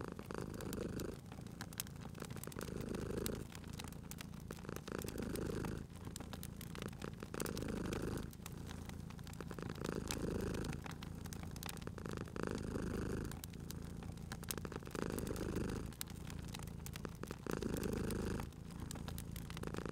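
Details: Sleeping domestic cat beside a fireplace in a cozy spring setting, purring steadily in low rumbling waves that swell and fade about every two seconds, overlaid by sharp, scattered crackles and pops from the burning fire.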